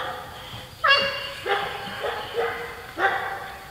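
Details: Golden Retriever puppies playing with a shaved Great Pyrenees; a sharp yelp followed by four shorter high barks about every half second, over a low hum.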